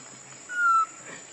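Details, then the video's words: Lucie, a pitiful baby monkey hungry for milk, gives a single thin whistled cry that holds steady and then drops slightly at the end, with faint rustling before and after. "Lucie Very Pitiful Need Milk Crying foaming At The Mouth I Lovely Baby Monkey"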